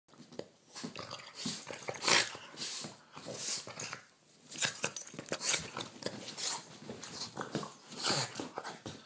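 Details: Theo, a Boston terrier, plays at night indoors and bites a hand in a small room; bursts of snorting, huffing breaths and brief scuffling noises come in irregular clusters, with rustling between them.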